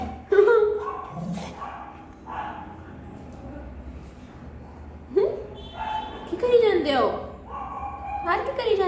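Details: Pomeranian dog meeting friends at the gate after a long separation; excited high whines and yips scattered through, mixed with people's voices and background music.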